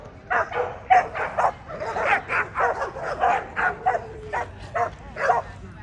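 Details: At the 2024 ADBA Tristate conformation show, 12–18 month female class, an American Pit Bull Terrier gives rapid, steady barks, about two per second for nearly six seconds, over background talk.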